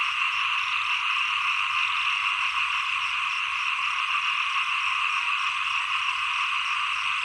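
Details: Dense chorus of small frogs at the end of the rainy season and start of the cold season, a steady unbroken trilling wall of croaks with no pauses and faint high ticking above.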